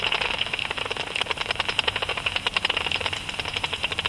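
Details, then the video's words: Japanese pipistrelle flying about at dusk, its ultrasonic calls converted to audible sound by a bat detector: a fast, steady train of dry ticking clicks, several per second, bunching into quicker bursts in places, over a faint hiss. "アブラコウモリ (Pipistrellus abramus) バットディテクター変換"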